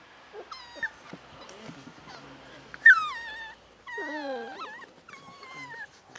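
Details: Seven-week-old Beagle puppies from litter F whine and yelp in short, high, falling cries. Several separate wavering whimpers come in bursts, with a sharper squeal near the middle and quiet rustling between them.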